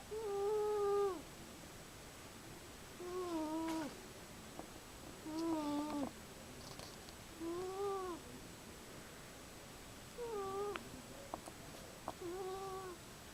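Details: Female pet cat sleeping and snoring indoors: soft whistled, arched nasal tones with faint overtones, one per breath, roughly every two to three seconds, with quiet breathy gaps and a few faint clicks between.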